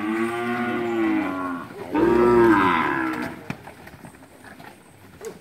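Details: A herd of heifers and cows at Capira, August 2016: two drawn-out moos in close succession, rich in harmonics, the second louder and arching in pitch, followed by quiet field noise.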